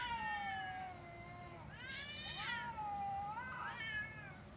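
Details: Fighting cats yowl in long, harmonic-rich wails that waver and bend, swelling into a loud rising cry midway and another near the end, with a constant low rumble underneath.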